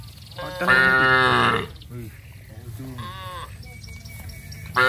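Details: Cattle from a village moving as a group to the rice fields and calling each other: one strong moo, then fainter, shorter calls, with a bird's thin notes in the background.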